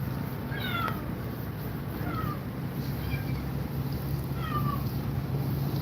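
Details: Cat frightened by two mother cats, giving three short, falling meows spaced about two seconds apart, thin and faint against a loud steady background rumble.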